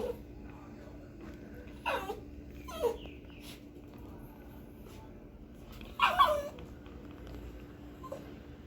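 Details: Pinscher barking loud and fierce, with three short yappy barks spaced a second or more apart, the last the strongest, over a low steady hum.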